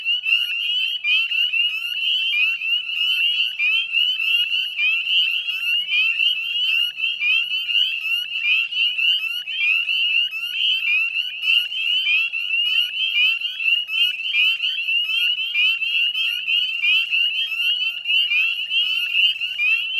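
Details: Dense chorus of northern spring peepers at dusk on 18 May 2020, beside the Chezzetcook salt marsh in West Chezzetcook, Nova Scotia, Canada: countless high, piercing upslurred peeps overlapping continuously into a shrill, ringing wall of sound, with no other voices.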